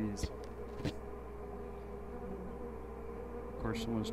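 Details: Honey bees in busy hives packed with honey during a check at The Mountain, the queen seen with brood of all stages. A steady low droning hum with faint sustained tones, and a few brief knocks and rustles.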